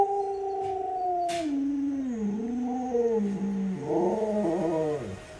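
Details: Alaskan Malamute Luoluo, a pet dog, fawning and clinging to a leg while begging for watermelon: a long, wavering, howl-like whine that slides downward, dips, then rises into a quavering final stretch.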